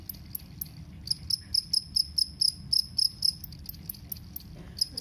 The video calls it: SERANGGA JANGKRIK KALUNG NYARING SUARA NYA